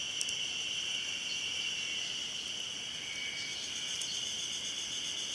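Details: Ezo-haruzemi cicadas at Hayama in Nagai, recorded 24 May 2015, give an unbroken shrill droning chorus, bright and buzzy, with a few brief sharp clicks near the start and around the middle.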